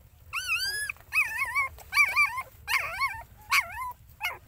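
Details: Dog family scene, the mother caring for her puppies: one long rising whine opens, then a quick run of about six shaky, undulating whimpers, fairly loud and closely spaced, fading with a brief final yip.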